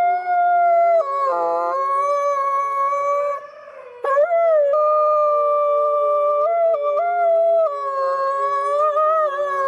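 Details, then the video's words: Wolves howling in a chorus of several overlapping long, smooth, sustained tones, with one voice dipping lower briefly near the start and a short break midway before the steady drawn-out howls resume. "Wolf howl"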